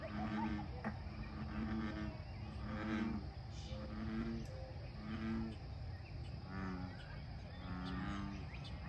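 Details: A group of American bullfrogs at Lake Fairfax gives deep, resonant croaks in short bursts, roughly one each second. The rhythm stays uneven as the frogs answer one another over a faint background of birds.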